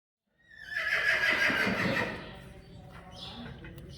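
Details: Sudden high whinny from a Friesian horse in a herd near Sneek, the Netherlands, rising sharply and quavering for about two seconds before dropping into a quieter, breathy tail, with faint stable sounds behind.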